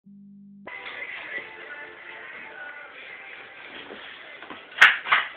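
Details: A short steady tone gives way to background music indoors, ending with two sharp slaps or knocks; no animal voice is heard.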